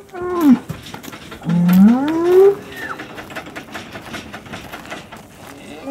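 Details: Hereford cattle at Chandler Herefords in 2017, bulls turned out with their breeding groups at the start of breeding season; two harmonic moos, one falling and one long rising bellow, with a shorter call after, over trampling and background noise.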